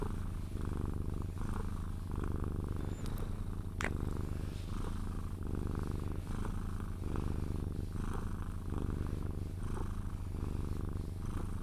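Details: Sphynx cat purring while being cuddled until it falls asleep, indoors; a steady low rumbling purr with rhythmic breathing pulses roughly every two to three seconds, plus a brief sharp click near the middle.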